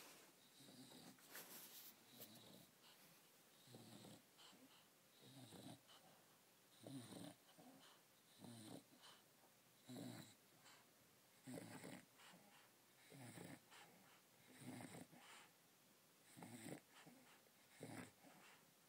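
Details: Leidy, a female English Bulldog asleep indoors with a teddy bear she sucks like a pacifier, gives rhythmic snuffling, wheezy breaths about every one and a half seconds, each a short nasal burst with soft snorts between.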